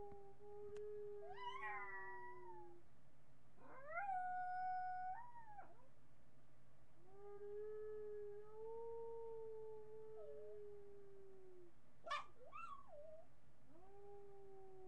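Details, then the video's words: Marty the miniature pinscher howls repeatedly in a webcam recording from July 8, 2011. Long drawn notes alternate with higher, rising cries and a few short yelps over about fifteen seconds. "Marty howling min pin"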